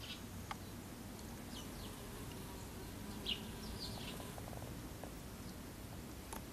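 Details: A Western honey bee forages on nasturtium flowers, its low, steady wing buzz humming beneath faint, scattered bird chirps.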